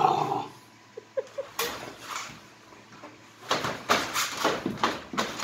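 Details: Three-month-old Boxer puppy Desi, angry because a toy sits outside the crate: a few faint early sounds, then a run of rough, noisy growling bursts in quick succession over the last two seconds, indoors.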